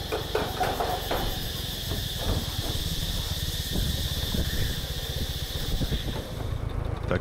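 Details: Cicadas hold a steady, high, shrill buzz along forest paths in Khao Sok National Park, Thailand, on the morning of the last day they are heard there. A man speaks over the buzz and a low rumble runs underneath.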